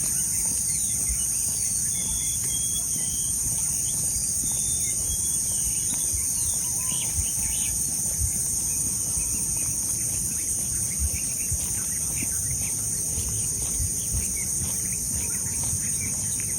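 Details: Crickets heard on a morning walk, a steady, continuous high-pitched chirring drone that never breaks, with a few short whistled bird notes early on and faint outdoor background noise.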